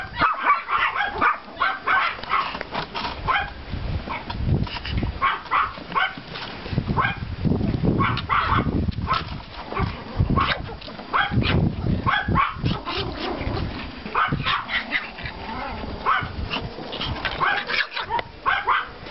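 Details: Several Pomeranian puppies out in the yard after snowfall, April 2014, bark in sharp, high bursts, some in rapid runs, with a stretch of low rumbling handling noise partway through.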